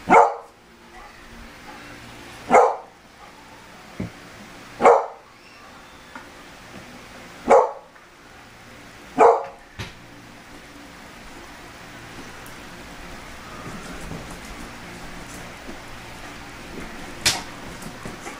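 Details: A Beagle that hates the smell of cologne lets out a series of sharp, loud barks about every two to two and a half seconds, five in a row, then falls mostly quiet with soft rustling and one fainter bark near the end.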